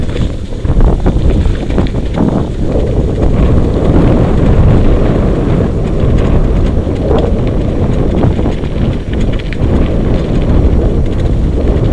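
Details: Steady roaring wind buffets the microphone over a low rumble at an outdoor sled dog race, with no barks or other calls standing out.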